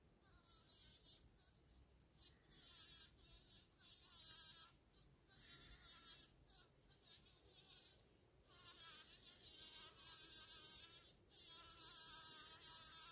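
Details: A female bumblebee buzz-pollinating gives loud, high-pitched droning bursts about a second long while in the flower, vibrating to shake pollen free; the buzz's tone changes when she flies off.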